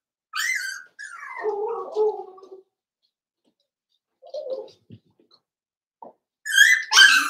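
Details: Five-week-old Cavalier King Charles Spaniel puppies in Daisy's indoor puppy pen: a high whine, then a falling, drawn-out whimper, a pause with brief soft squeaks, and finally two loud, high, harmonic-rich yelps.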